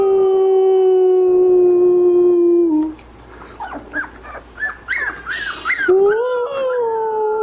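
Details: Puppies learning to howl: a long, low, steady howl, then short squeaky yips and wavering little howls, then a rising howl held to the end.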